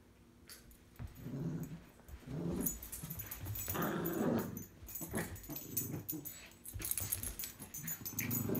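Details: Two Cavalier King Charles Spaniels, a tricolour and a Blenheim, tussle and bark over a string toy indoors; near-continuous low growling mixed with sharper bark-like bursts and scuffling noise.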